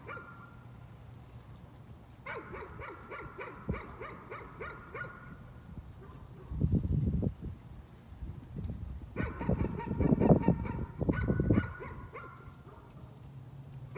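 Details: Persistent nuisance barking: a dog fires off quick runs of barks, about four per second, in two long bouts, while a loud low rumble like passing traffic swells in the middle.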